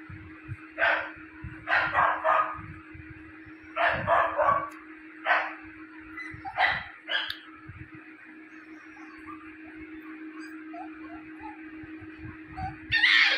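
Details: Young Japanese Spitz pup, one of a litter born on 5 October 2022, giving quick clustered yips and barks, often in pairs or triples, against a constant electrical hum, then quieter whines.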